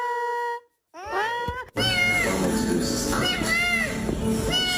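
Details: Cat making funny sounds: a series of short arched meows, several rising then falling, over loud background music and a person's voice.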